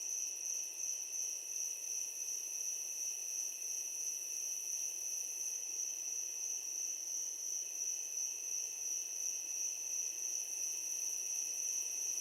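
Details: Crickets at night near a swamp give a steady, high, shimmering trill that never pauses.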